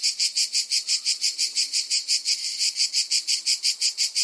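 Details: Cicada producing a sharp, high-pitched buzzing call in evenly spaced pulses, about three per second, with a faint low hum underneath.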